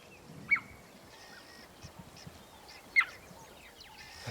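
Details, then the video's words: Radio-collared female cheetahs hidden in dense grass and bush at Erindi Game Reserve, Namibia, give short high bird-like chirps, two clear ones about two and a half seconds apart, a telltale sign of their presence, over faint vehicle rumble. "That's the girls there. Can you hear that chirp? Almost sounds like a bird call."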